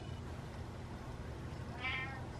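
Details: Domestic cat meowing after eating, wanting more food: one short, fairly high meow near the end, over a low steady household rumble.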